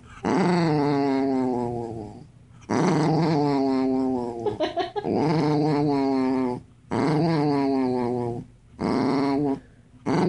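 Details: Dog. A dog vocalizes in drawn-out, warbling moans that rise and fall like grumbling talk. Each outburst lasts a couple of seconds, with brief pauses between them, in a quiet indoor setting.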